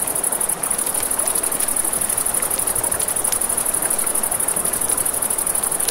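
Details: High, rapid pulsed chirping of crickets beside a river at night continues unbroken, mingled with the hiss of flowing water and frequent crackling and popping from a nearby campfire.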